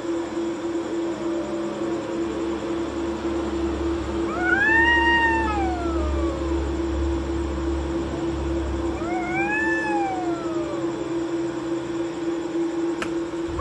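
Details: Two cats fighting at night while sitting on a courtyard wall: two long drawn-out wailing cries, each rising then sliding down, about five seconds apart, over a steady low electrical hum.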